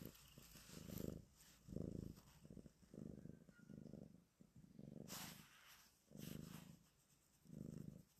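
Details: Black cat climbing onto its owner's lap for the first time in its life, purring; low rumbling pulses swelling and fading about once a second, with faint rustling.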